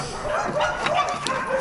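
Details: Restless dogs at an animal shelter bark in short, harsh bursts at arriving people on a slightly warmer day, with a voice talking in the background: Dog.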